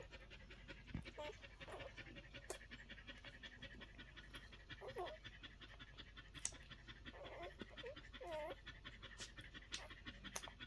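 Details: Rapid, rasping panting from one-week-old Collie puppies runs throughout, mixed with short wavering squeals around the middle and later, plus a few sharp clicks.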